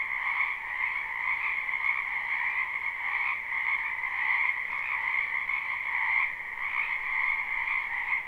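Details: Many frogs croaking in a wetland behind a house in spring, live recording without looping; a dense, unbroken chorus of overlapping trilled croaks in two steady bands, mid and high, with no other sounds.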